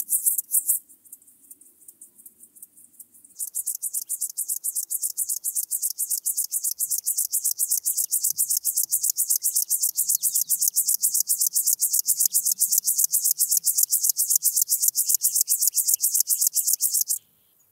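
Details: Chorthippus apricarius singing in Moosham, Austria, 9 October 2020; after a short pause a long run of fast, evenly spaced high rasping pulses, about 231 per minute, ends abruptly.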